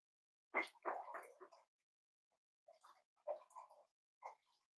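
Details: Cavalier King Charles Spaniel puppies snuggling indoors in a home raising emotional support animals; soft squeaky whimpers and grunting whines in short bursts, one louder cluster near the start and several quieter ones after a pause, in a quiet small room.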